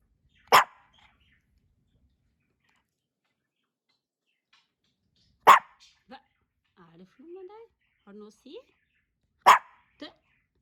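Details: On his second birthday, male Pomeranian Hendo lets out three single, crisp barks roughly four seconds apart, while a person speaks softly during the gaps.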